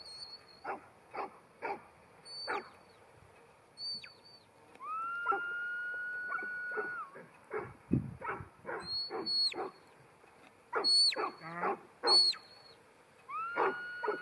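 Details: New Zealand Huntaway, a ten-month-old female, barking steadily in short, evenly spaced bursts while long, high, level shepherd whistles and shorter sliding whistle notes sound over and between the barks.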